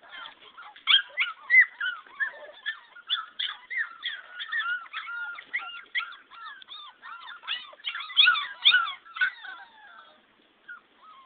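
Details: A litter of 14 English Springer Spaniel puppies whimpers and squeals in a continuous, overlapping chorus.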